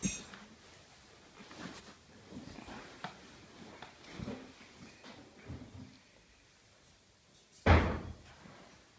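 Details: Scattered indoor thumps and bumps, with a loud slam-like knock near the end, over low room noise.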